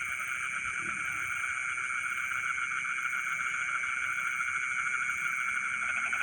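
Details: Frogs singing together in rice fields in the middle of the night: a dense, continuous chorus of overlapping pulsed trills, layered with a steady high-pitched ringing drone that never pauses.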